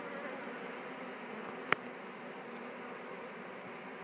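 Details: Swarm of Western honey bees newly moved back into a Warre hive after absconding, settling in; a continuous droning buzz holds throughout, broken by a single brief sharp tap midway.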